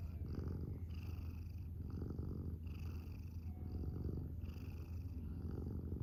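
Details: Domestic cat purring steadily: a deep, rumbling drone that swells and eases about once a second as it breathes in and out, with a faint high tonal hum in the background.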